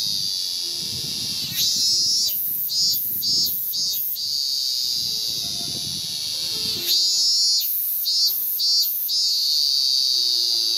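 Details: Ming-ming cicada male in Japan, early August 2018, calling from a cherry trunk to attract a mate. A continuous high buzzing hum swells into two runs of quick pulsing 'min-min' beats, while piano notes play softly in the background.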